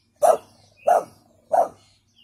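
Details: Brindle American Staffordshire Terrier female sounding a weak warning: three short, soft barks evenly spaced roughly two-thirds of a second apart, each quickly fading.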